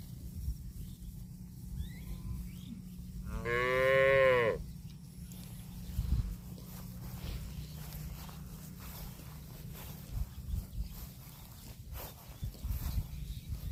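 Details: Cow eating grass lets out one loud, rich moo lasting over a second, swelling and then fading, followed by quieter low rumbling and scattered knocks.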